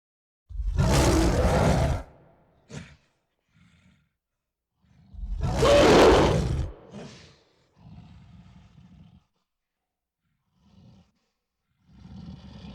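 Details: Gorilla giving two long, deep, rough roars of about one and a half seconds each, several seconds apart, followed by short low grunts and quieter rumbling huffs.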